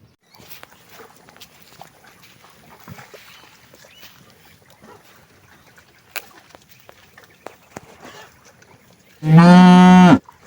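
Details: Cow in a thirsty herd in hot weather; quiet scattered knocks and rustling, then a single loud, deep moo about a second long bursts out near the end.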